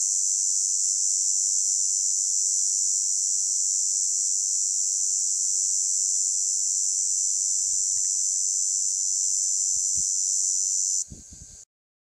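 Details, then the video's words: Cicada singing in summer heat at Cliousclat, France: a loud, steady, unbroken high-pitched buzz held for about eleven seconds before stopping abruptly, with faint low thumps near the end. "la cigale chante"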